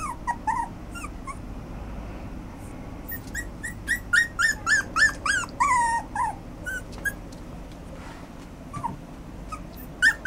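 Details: A Toy Poodle and Yorkshire Terrier cross whines repeatedly in short, high, nasal whimpers, some clipped and yelping, others drawn out and falling, coming in uneven bursts over about ten seconds with soft background hum.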